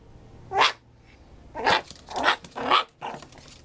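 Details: A Maltipoo lets out brief sharp yelps, five short bursts spaced under a second apart, each one bright and abrupt, with quiet room hiss in the gaps.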